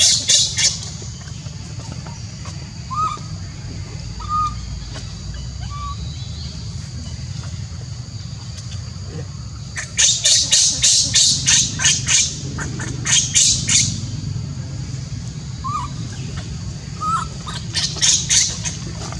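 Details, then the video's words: Baby monkey Leo, a newborn at Angkor Park in Siem Reap, screams and cries for his mother Libby after she leaves him alone; harsh high screeching bursts come in rapid series, with quieter gaps and faint short whistles between. "Little Baby Leo was Asking For Mom While Libby Leave Him A lone Screaming and Crying"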